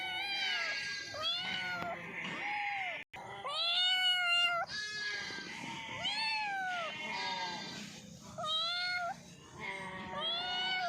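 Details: Several cats meowing as they eat, drawn-out arching meows overlapping one another, some higher and thinner, coming in quick succession with a brief break near three seconds.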